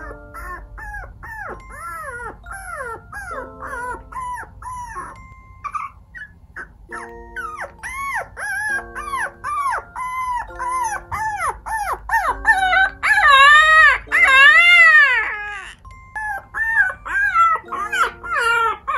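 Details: Micro teacup toy poodle recorded from two months to nearly two years old, a compilation of high whining yelps and short barks, arched tonal cries repeated rapidly, growing louder later, with light music in the background.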